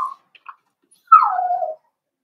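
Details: Cavalier King Charles Spaniel puppy in a breeder's pen, being introduced to several bigger dogs; a short whine trails off, then a single drawn-out whimper starts high and slides downward for over half a second.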